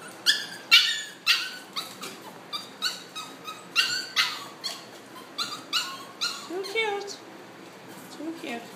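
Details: Welsh Terrier puppies, seven weeks old, indoors in a small room: a run of short sharp high yips and barks, roughly one or two per second, with a few whining squeaks near the end.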